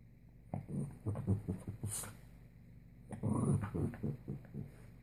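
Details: Puppy full of morning energy makes low, rumbling growls in two stuttering bursts, pulsing roughly every fraction of a second, with a brief gap between them indoors.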